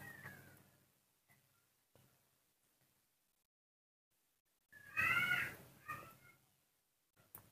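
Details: Baby monkey named Nomi, impatient over its morning milk and throwing a tantrum, lets out a brief cluster of shrill, harmonic squeals midway through, preceded by quiet with faint murmuring and handling noise.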